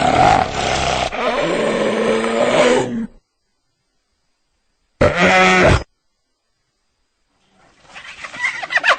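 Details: Hyena giving rough, broadband roaring growls for about three seconds, then a short harsher burst after a pause, followed by softer rasping noises.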